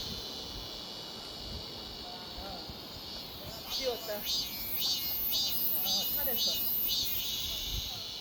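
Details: Cicada drone holding steady and high, then rhythmic pulsing bursts joining about halfway through, with a few faint chirps from other creatures in the middle.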